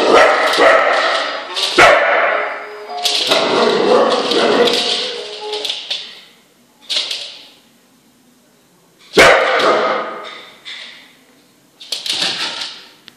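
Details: Dog angry at a singing Rudolf toy during its first Christmas, letting out loud rapid barks and yips in bursts, the longest burst running several seconds, with quiet gaps between and a final flurry of yelps.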